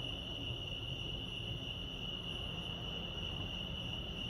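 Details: Crickets at Lake Arrowhead, California, give an unbroken, high, buzzing chirp over noticeable low-pitched background rumble.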